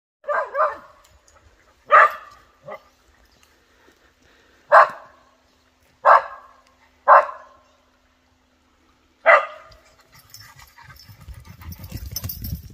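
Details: An excited whippet barking at another dog: about eight sharp, clipped barks in irregular bursts with short pauses between them, ending in rustling and handling noise.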